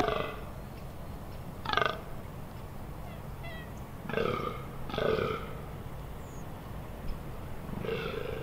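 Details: Fallow deer stag groaning in the autumn rut, Amsterdamse Waterleiding Duinen, Netherlands, October 2021: widely spaced, raspy belch-like grunts, four or five over several seconds, with quiet pauses between.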